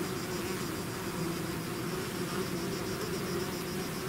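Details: Bee swarm out of its hive heard as a loud, unbroken buzzing hiss, dense and noisy, with a faint higher whine running above.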